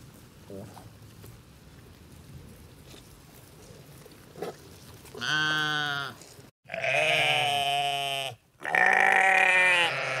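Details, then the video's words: Low hissing background with faint thumps, then sheep break in with three loud baas: a brief bleat and two long, wavering, nasal cries separated by short silences. "Sheep Sounds: Baa-rilliant Sheep Noises for Kids!"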